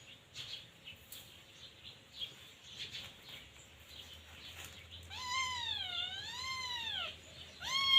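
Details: Scottish Fold kitten Luktan, teething and biting whatever it sees, lets out a drawn-out wavering meow of about two seconds after quiet rustling, then starts another loud call at the end.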